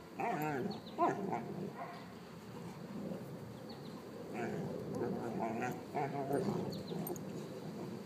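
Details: Old mastiff and six-month-old Brice, pet dogs Lola and Gertie, in sustained playful vocal exchange: continuous wavering whines and growls with many harmonics, barely pausing across the stretch, one higher yip near the start.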